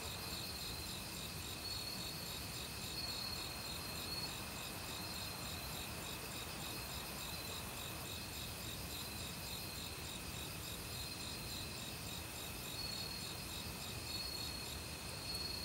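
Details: Crickets calling in a forest in autumn, a week after they began calling loudly. Continuous high trilling and pulsed chirps are mixed with other insects, with occasional clear notes, all over a steady background of flowing stream water.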